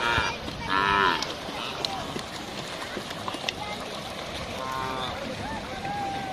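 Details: Cattle crossing, with several short harmonic moos and lows, a loud one near the start and a softer one around five seconds, over a busy background of outdoor noise and some voices.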